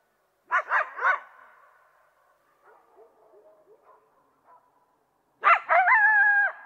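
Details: Coyote barking three times in quick succession, faint yips trailing off, then a loud bark followed by a sustained, slightly wavering howl.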